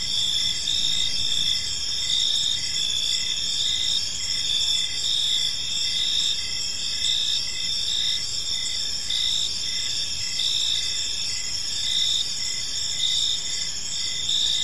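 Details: Gentle cricket chirping fills an evening park. Multiple shrill insects trill continuously at different pitches, and a lower voice repeats brief chirps at an even pace over the whole stretch.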